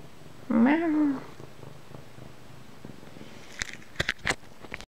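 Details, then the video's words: Domestic cat giving a single drawn-out morning meow, lasting under a second with a gently falling tone, followed by quiet room sound and a few sharp clicks. "Morning Meow"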